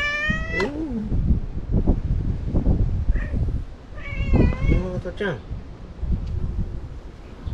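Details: Talkative white stray cat, ear-tipped, meowing: a drawn-out wavering meow at the start and another long, bending meow around four seconds, while a person talks softly to it over a low rumbling background.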